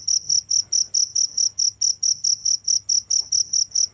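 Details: Steady cricket chirps, shrill and high, each short pulse repeating evenly at a brisk pace with no pause, faint hum in the background.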